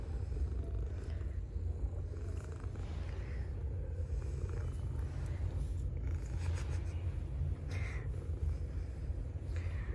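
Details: Stray street cat wanting to be petted, approaching a person after playing with another cat; a steady, deep rumbling purr runs continuously throughout, low and even, with faint higher rustling in the background.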